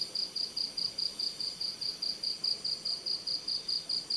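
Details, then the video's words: Cricket at night: a steady, high, shrill trill pulsing about twice a second in an even rhythm over a faint hiss of night background. "Bunyi Jangkrik & Suasana Malam"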